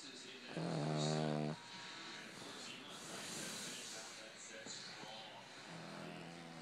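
A Boston Terrier snores with a low, droning, tonal rasp on each breath, about five seconds apart.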